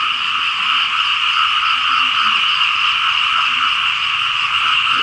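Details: Frogs in a loud chorus across fields in Laos as rain falls. Dense, unbroken trilling in two steady bands, one mid-pitched and one higher, holds without pause.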